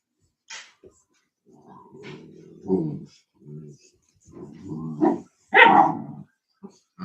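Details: Cane Corso (Italian Mastiff) at a breeder's kennel one hour west of Nashville, Tennessee, giving low, rumbling harmonic growls that rise into a few short, sharp barks, with brief human voices mixed in.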